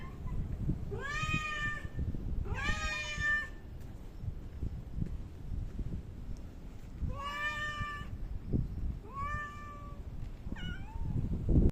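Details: Outdoor park cats on 3 August 2023, seen after Typhoon No. 6 passed; five plaintive meows, long upward-bending calls then a brief clipped one at the end, against steady low background rumble.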